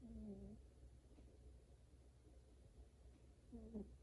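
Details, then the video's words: Sleeping domestic cat snoring indoors: a short, nasal, tonal squeak at the start and another near the end, separated by soft breathy rustle over a constant low room hum. "Kitty Snoring While Asleep"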